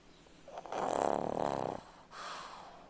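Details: One drawn-out, rumbling snore from a pug, about a second long with a fluttering, rattly texture, then a soft exhaled breath afterward.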